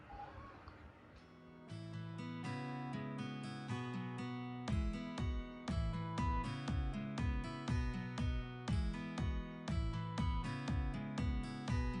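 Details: Strummed acoustic guitar music with a steady beat, no animal voice audible.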